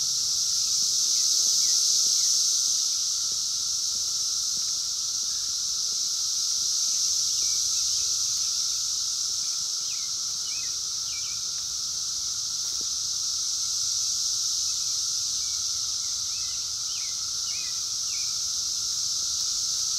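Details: Wild 17-year Brood X periodical cicadas in 2021, phone-recorded: a dense, steady high-pitched droning chorus that swells and eases slightly, with a lower steady hum beneath and a few faint bird chirps.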